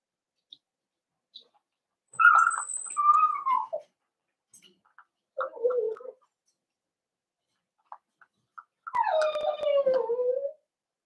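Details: Young Cavalier King Charles Spaniels penned indoors while bigger dogs of the household visit, December 13, 2022. Three separate drawn-out whines, each falling in pitch, with a brief high squeak and quiet taps between them.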